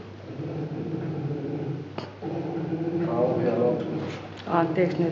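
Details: Polar bear cub nursing from its mother in a zoo den, vocalizing loudly to stimulate milk flow; a steady low droning hum continues throughout, with human voices talking over the second half.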